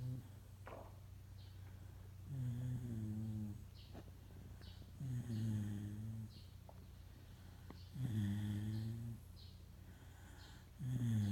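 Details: Moka, a Shiba Inu mix pet dog, snoring while awake indoors: deep, rasping snores with a rising-then-falling tone, each lasting about a second and recurring roughly every three seconds, with quiet pauses between.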